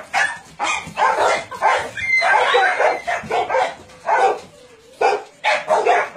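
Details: Chorus of barking dogs from a meat farm that doubles as a puppy mill in Nonsan, South Korea, photographed January 2017; loud clustered barks in bursts separated by short quiet gaps, several animals calling at once.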